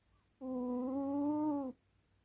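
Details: Sleeping male pet cat giving one loud snore, a steady nasal drone of just over a second that rises slightly in pitch, set in a quiet room.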